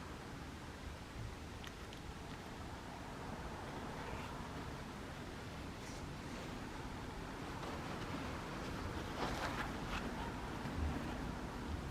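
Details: Continuous wind rumble buffets the microphone throughout, with faint scattered rustles and no animal voice.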